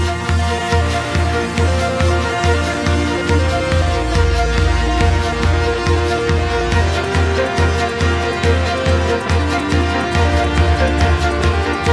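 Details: Steady rhythmic music with a strong bass beat and string-like melody; no animal voice is heard.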